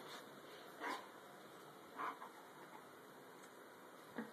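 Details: Joshua, a White German Shepherd Dog, freshly shampooed and resisting brushing indoors, gives short, clipped barks with a yipping edge. The first two come about a second apart and a fainter one follows near the end, over low room noise.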